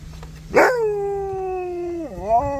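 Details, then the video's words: Siberian Husky crying with joy on seeing people: a long drawn-out tonal whine, starting with a sharp burst then holding steady and slowly falling before a brief dip and rise at the end, with a low hum beneath. "Husky Cries With Joy When He See's Them"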